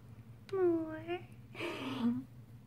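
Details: Rescued female Chihuahua puppy from Fort Worth, Texas, asking for more belly rubs: a drawn-out whimpering call sliding down then up, followed by a breathier, rougher whine, against a low indoor hum.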